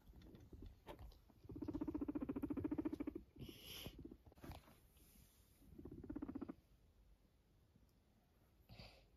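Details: Guinea pig purring in two bursts, a long low throbbing rattle and then a shorter one a few seconds later, separated by rustling and light handling noises, with a faint squeak near the end.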